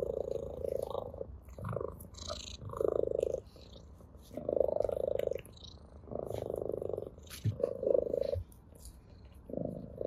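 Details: Ginger cat purring with pleasure while playing with a blade of grass: a rough, pulsing purr in bursts of about a second, broken by short pauses, with light rustling clicks from the grass throughout.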